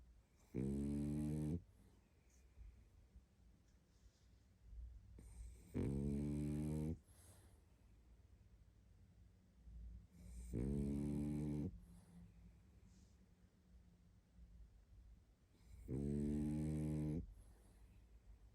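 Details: Barney, a tired pug, snores in his sleep: four loud, harmonic rumbling snores, each about a second long, roughly every five seconds, with soft breathing between them in a quiet room.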